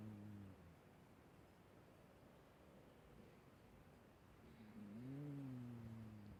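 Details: Snoring from an old, ailing cat: a low tonal breath at the start, a quiet pause, then a longer rising-then-falling humming snore near the end, with steady low background rumble.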